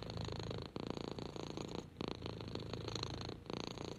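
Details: Purring from Henry, a neutered orange kitten of six months enjoying being petted on a lap; throaty rhythmic rumble with pauses near every second as he inhales and exhales.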